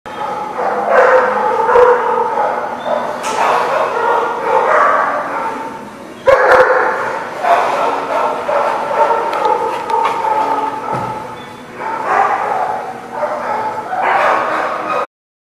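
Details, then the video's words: Dogs at a place called the Barking Lot, recorded 25 January 2020: a dense, continuous chorus of overlapping barks and yips from several dogs, loud bursts returning every few seconds with brief dips between. "The Barking Lot"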